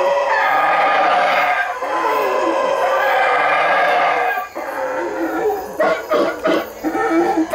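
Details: Boisterous howler monkeys produce long, hoarse, rumbling roars for about four seconds, then a pause and a series of short, choppy grunting bursts.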